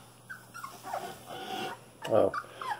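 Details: Cane Corso puppies, 23 days old, giving short high whining squeaks that bend up and down, scattered through the clip with one louder squeal near the end, while a woman talks softly nearby.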